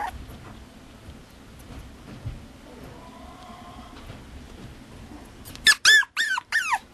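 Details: Mame Shiba puppy at a breeder in Japan: after a stretch of quiet, low background noise, four short, high, squealing yelps come in quick succession near the end. Each one bends downward in pitch.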